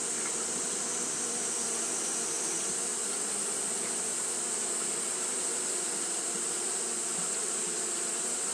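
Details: A Japanese honey bee colony fanning in hot weather, heard as a thick, continuous buzz with faint wavering in the lower hum and a constant high sizzle.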